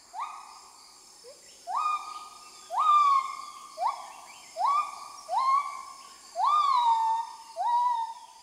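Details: An adult male lar gibbon sings at sunrise in the Mekong valley of Laos, marking the start of a new day: loud hooting notes that rise and level off, about one a second, audible up to 7 km.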